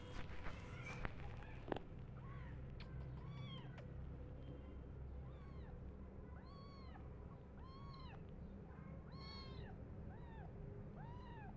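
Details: Hungry tiny kittens, crazy for bottle milk and biting at their foster carer, meow again and again in short arched cries, sometimes overlapping. A persistent low hum of background noise runs underneath.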